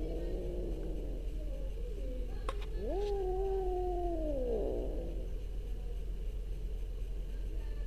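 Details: An orange domestic cat utters a single long meow: a sharp upward swoop into a steady, slightly falling tone, ending in a quick downward slide. A brief tap precedes it, and a low hum runs throughout.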